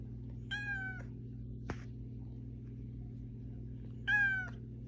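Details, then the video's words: Domestic cat calling to rouse its owner, giving two flat, clearly harmonic meows about three and a half seconds apart, the second louder, with a single sharp click between them and a constant low hum behind. "Cat Alarm Clock"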